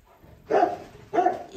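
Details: Eleven-day-old Rottweiler puppies, one of four, handled indoors while their eyes are just beginning to open; two short, harmonic yelping cries about half a second apart, each a brief whiny burst, with faint room noise between.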